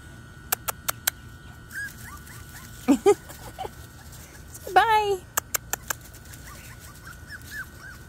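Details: Puppies 5 weeks 3 days old on their first day outside in Florida; two short high whimpering yelps that slide downward, between sharp clicks, faint chirps and people talking nearby.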